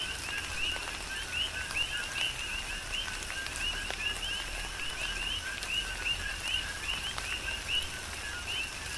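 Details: Big Island, Hawaii coqui frogs in rainfall, their two-part calls, a short flat note then a bright upward-sweeping whistle, overlapping steadily throughout, with rain hissing and occasional sharp drops striking nearby surfaces.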